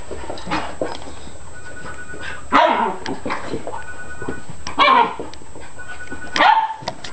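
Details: Beagle or beagle cross indoors, two dogs present, giving three loud, harsh, broadband barks roughly two seconds apart, with soft scuffles and small knocks between them and a steady thin high-pitched whine behind.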